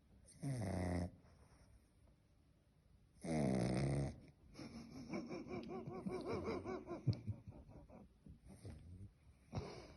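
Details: Snoring pet dog indoors, with two loud, rattling snores about three seconds apart, then a stretch of softer, wheezy, wavering breathing sounds and a final short snort.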